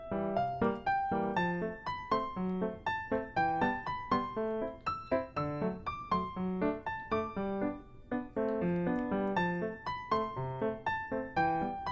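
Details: Gentle electric piano melody with repeated chords plays throughout, with no animal voices.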